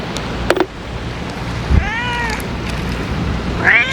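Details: After a few sharp clicks, a stray ear-tipped cat gives one drawn-out falling meow and starts another, fed outdoors on a windy day with steady low wind noise.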